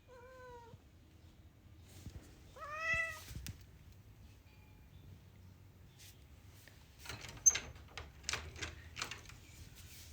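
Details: Orange cat indoors wanting to go outside gives a short steady meow, then a longer rising-falling meow a couple of seconds later, followed by knocking or scratching noises and clattering sounds.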